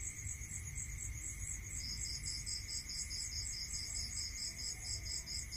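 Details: Rural crickets calling at night, quick high pulsed trills overlapping, one joining partway through, over a steady high drone and a low murmur of background noise.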